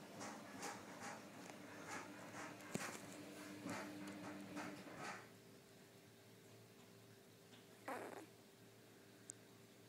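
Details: Six-day-old golden Cocker Spaniel puppies give rapid, scratchy squeaks and a single falling whine.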